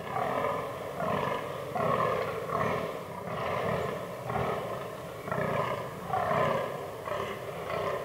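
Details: Rutting fallow buck in autumn forest, its herd including albino and melanistic deer; hoarse, low belching groans come in a steady run of about one per second, loud and rasping, with little other sound.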